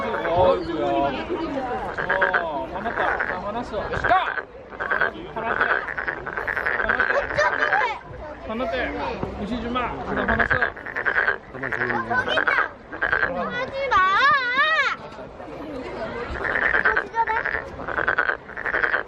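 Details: Frog calling at a lantern festival in Nowon, Seoul, Korea, its cheeks puffing as if about to burst: rapid pulsed rasping croaks in dense bursts, almost continuous throughout, over lively crowd chatter and voices nearby.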